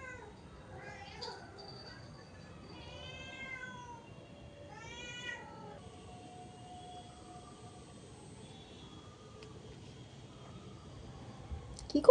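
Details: Indoors, a pet cat makes two short rising meows close together early on, then goes quiet, with faint thin tones and a sharp clatter at the very end.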